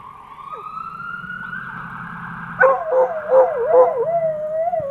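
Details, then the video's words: Fire truck siren wails upward at first, then coonhound Andy-Tucker joins in with a series of wavering, pulsing howls that settle into a long sliding note while the siren continues behind. "Coonhound Andy-Tucker howling at the fire trucks"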